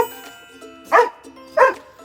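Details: Dog barking from excitement, as when its owner comes home or it meets a friend, wagging its tail, pacing and playful: two high, sharp, short barks about 0.7 seconds apart over soft background music.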